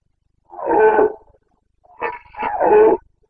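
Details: Red deer stag of the Carpathians roaring in the breeding season, Bucovina, 29 September 2022: a deep, drawn-out moaning roar, then after a short pause a stuttering grunt rolling into a second long bellow.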